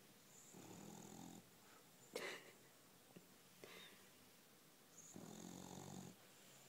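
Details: Sleeping dog snoring indoors: soft, breathy rasping snores, each about a second long, separated by quiet pauses of several seconds, with a faint click in between.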